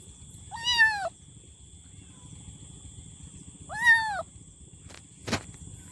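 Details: Kitten giving two arched, harmonic meows about three seconds apart against steady background hiss and a high electrical whine, ending with a sharp click.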